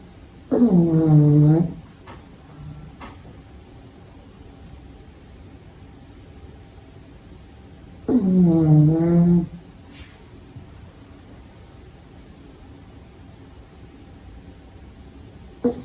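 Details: Pug puppy asleep indoors snoring: two low, harmonic, drawn-out snores about a second long each, spaced roughly seven seconds apart, with quiet room tone between them.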